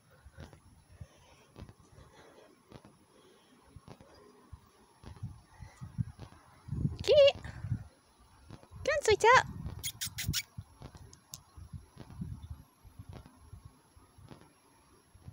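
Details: Domestic cat answering its owner, who is calling two cats indoors out of humid weather. One short meow is followed two seconds later by a longer rising-falling meow. High squeaky kissing sounds come next, over faint background rustling.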